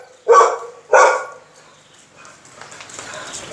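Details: Pit bull dog being teased, giving two loud, harsh barks about half a second apart, then quieter scuffling and background noise.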